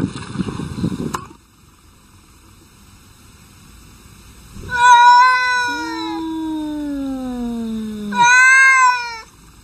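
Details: Two domestic cats in a quarrel: a loud, drawn-out yowl that slides downward, a low, falling moan-like growl beneath it, then another sharp rising wail. A brief burst of noise comes first.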